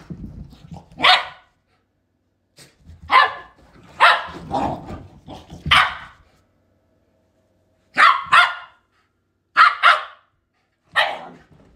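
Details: Pet Shiba Inu dogs barking in sharp, loud bursts, one to three barks at a time with pauses of one to two seconds between groups; softer grumbling sounds between the early barks.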